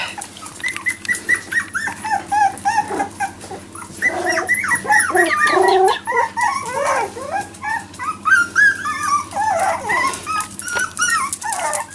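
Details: Four-week-old Jack Russell Terrier puppies, newly walking over the past four days, keep up a continuous chorus of overlapping whimpers, yips and squeals, rapid arched cries from several pups without a break.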